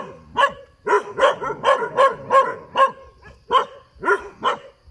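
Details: Dog barking beside a road: a quick series of about ten sharp, loud barks, evenly spaced at roughly two or three per second, with a brief pause midway.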